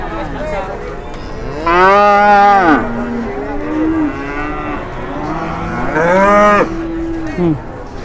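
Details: Angry cow coming down off a truck in Indonesia, charging at handlers. Two powerful, rich bellows about four seconds apart, each rising then falling, with lower grumbling moos between and people talking nearby.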